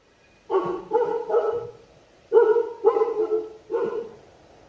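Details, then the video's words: Sivas Kangal, a Turkish dog breed, barking in two bursts of deep, rough, harsh barks. Three short barks come close together, then after a pause another group of three follows, with quiet between. "Sivas Kangal (Turkish Dog) Ses Efekti"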